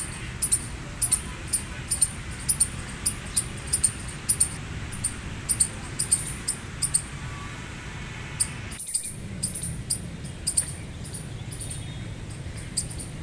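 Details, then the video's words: Gray squirrel squawking in a long, regular train of sharp chirps about twice a second, with a brief cut in the sound partway through, then quieter chirps continuing over a low steady rumble. "Gray Squirrel Chirping Noise Loud | Squirrel Squawking Sound"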